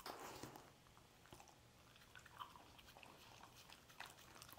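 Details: A dog chewing scrambled egg, opening with a loud wet mouthful, then softer scattered smacks and clicks, with a brief louder bite near the end.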